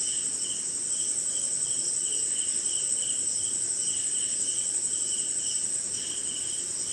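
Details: Crickets in the rainy Indian night give a sustained high metallic trill and a lower line of brief chirps at a steady pace of about two per second, with gentle rain patter beneath.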